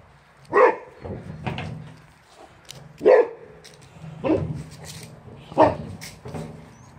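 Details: Boxer dogs Rex, an adult, and Sammie, a puppy, both recovering from kennel cough, confronting a wheelbarrow; four loud barks spaced over seven seconds, with a low steady hum underneath.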